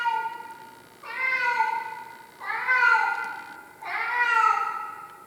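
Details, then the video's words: Domestic cat named Tarzan crying loudly indoors, giving a run of four strong, drawn-out meows, each about a second long, rising then sagging in pitch, repeated steadily about every one and a half seconds. "My Crying Cat Tarzan"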